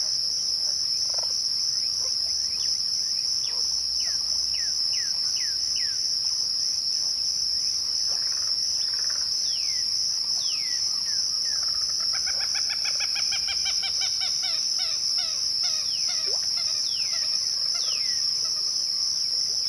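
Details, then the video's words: Twilight cricket chorus, a constant shrill ringing tone throughout. Birds call over it with falling whistles and, past the midpoint, a rapid run of stacked chirping notes. "twilight crickets"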